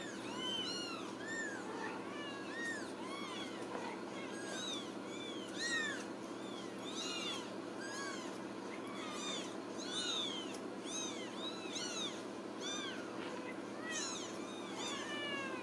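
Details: Ragdoll kittens at a home cattery in central Kansas, raised without cages, mewing constantly in high, thin arched cries that overlap from several voices, with a steady low indoor hum beneath.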